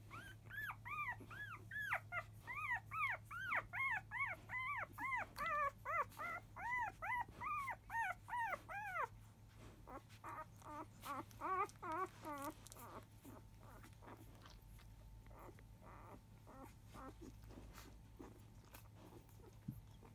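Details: Newborn Labrador Retriever puppies, five days old, from a field-type litter out of champion mother biscuit, squealing noisily as nursing begins after 1 pm; a steady run of arched whines for nine seconds, then quieter scattered squeaks and hum.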